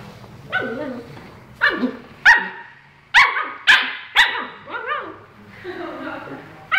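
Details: Husky named Tequila produces a string of wavering, harmonic yowls and short sharp barks, pitch bending up and down in talkative, irregular phrases with brief pauses between.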